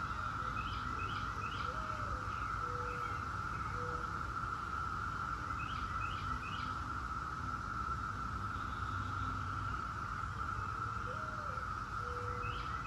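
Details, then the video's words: Steady massed buzzing drone of 17-year Brood X cicadas, unchanging in pitch, with groups of three quick bird chirps recurring every few seconds and short lower whistles between them. "17-Year Cicada Brood X Sounds"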